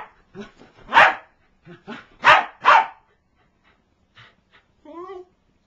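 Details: Corgi attacking a toy, giving bursts of loud harsh barks mixed with softer grunting yelps, followed by a short quiet pause and a brief wavering whine near the end.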